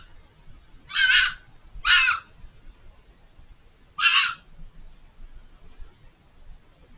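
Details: A fox hidden on the other side of a hedge, out of the camera's view, gives three harsh, hoarse screams, each under half a second, two quick then one after a pause; it screamed for over 5 minutes.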